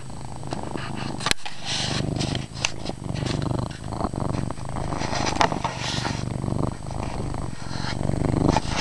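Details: Loud, continuous low purr from Chase, a male house cat in a dark room, a deep pulsing rumble with rustling and soft knocks over it, one sharp click early on.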